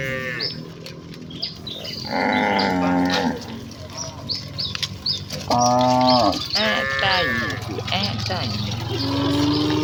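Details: Several village cattle moo as the herd runs happily toward its pen, calls of varied pitch following one another every second or two, over a noisy background with bird-like chirps.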